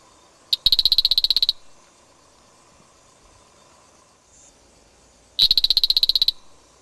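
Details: A banded banana frog (Afrixalus vittiger) in Ghana, recorded in 2004, gives a rapid, high clicking rattle of about fourteen pulses, repeated after a pause.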